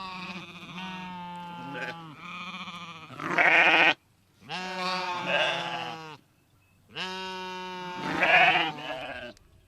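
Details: Three long, drawn-out sheep baas, each lasting two to three seconds with a quavering voice that rises and strains toward the end, separated by brief silences.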